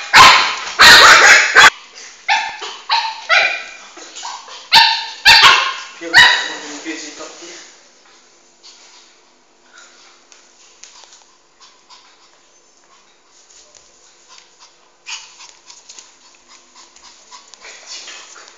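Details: Shih Tzu puppy Flame, about four months old, chasing his ball around the house until tired; a string of shrill yapping barks fills the first seven seconds, then quieter scuffling, a faint voice and a few soft sounds follow.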